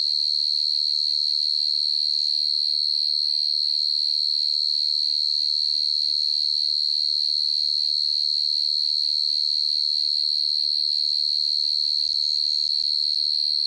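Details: Cricket chirping in the stillness of the night, a steady high-pitched trill held almost unbroken, pulsing rapidly and evenly, with a faint low rumble underneath.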